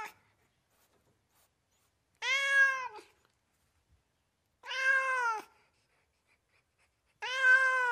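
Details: Domestic cats meowing, filmed in California: three drawn-out, harmonic meows spaced about two and a half seconds apart, each slightly falling at the end, with silence between calls.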